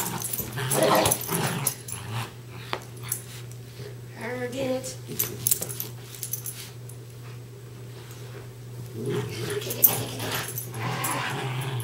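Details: Two West Highland White Terriers named Darby and Riley playing tug of war inside: dense snarly growling at the start, scattered short grunts and bursts after, a renewed growl near the end, steady hum underneath.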